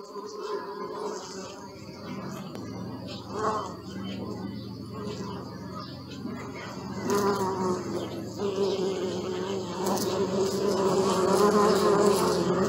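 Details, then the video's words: Bees recorded on a Sony Alpha 6000 give a steady droning buzz with a harmonic hum. Overlapping wingbeats swell louder in the second half as insects pass close. Short clicks and rustles sound in the background. "Bee sound"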